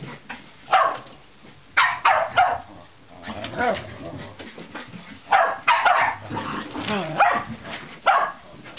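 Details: Shetland Sheepdog Juno barking at her companion sheltie Razumu to provoke him into chasing her in play; sharp, bright barks in bursts of two or three, spaced irregularly across the clip, with scuffling between.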